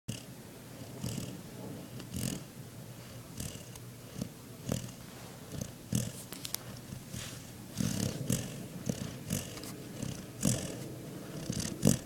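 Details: Pet German Shepherd asleep indoors, snoring: rough, low, breathy snores roughly every second, with brighter noisy bursts near the second and eighth seconds and soft background rustle.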